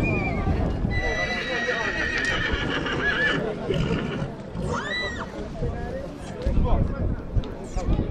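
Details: Horse described as a bad horse that bites, in Dâmbovița, Romania; a short arching whinny rises and falls around the middle, with people talking throughout and some hoof clatter.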